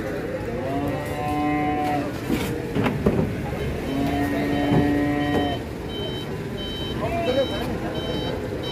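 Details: Another of the large Pegon cattle at an Indonesian unloading site; several long level moos spaced a few seconds apart, with a vehicle's repeated reversing beeps, clanks and voices.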